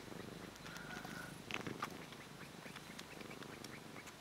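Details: Cat kneading and purring steadily, a quiet low vibrating rumble pulsing rapidly, with light scratching and tapping sounds mixed in.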